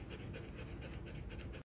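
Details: Domestic pet dog panting indoors: quick, steady, breathy huffs repeating several times a second across the whole short stretch, low and soft, with no voices or other sounds clearly heard.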